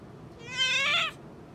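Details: Indoor pet otter giving one drawn-out, high, harmonic whine that swells and then cuts off sharply, over a quiet room background.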